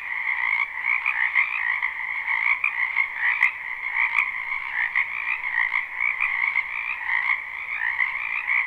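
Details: Springtime chorus of numerous frogs in a wetland near a home, recorded live with no looping; steady overlapping pulsed croaks roughly once a second, plus two faint clicks partway through.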